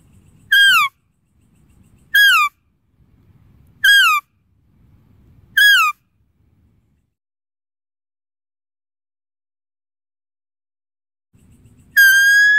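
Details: Deer calling with a series of brief, piercing, descending calls repeated roughly every two seconds. A long pause follows before a final call that holds steady. Background is quiet.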